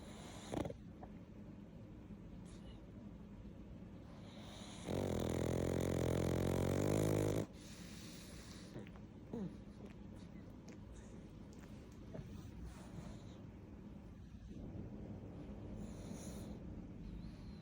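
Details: Pug snoring while asleep, a steady low rasping rhythm of about four breaths a second with a loud tonal burst midway and a woman's voice just after.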